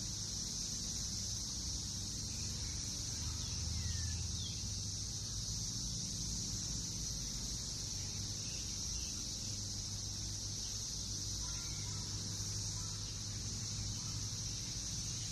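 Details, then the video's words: Brood X periodical cicadas swarming a backyard in Northern Kentucky in June 2021, emerging after 17 years underground. Their dense chorus forms a steady, high-pitched, unbroken drone throughout, with a low background rumble beneath and faint chirps near the middle. "Sounds of Cicadas in NKY, recorded June 2021"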